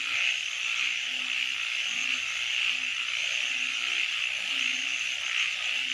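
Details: Nighttime frogs: an unbroken wall of high-pitched trilling, and under it brief deep croaking notes repeated at irregular intervals.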